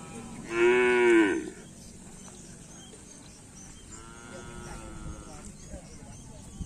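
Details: Bull-race cattle training on the Asemanis field, Karapan Sapi practice: one loud, level moo about a second long, followed a few seconds later by a softer, longer moo, amid steady background noise.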